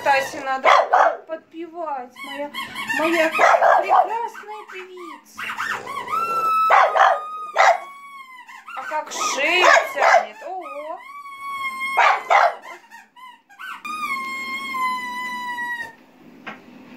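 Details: Female French Bulldog singing along as a pipe is played, stretching her neck: wavering, rising and falling howling barks mixed with pipe notes and a woman's excited talk throughout.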